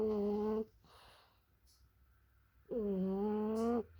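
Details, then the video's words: Sleeping French Bulldog snoring indoors: two long, droning, tonal snores with a nasal, harmonic ring, one at the start and one near the end, separated by a quiet breath. "Французский бульдог храпит во сне."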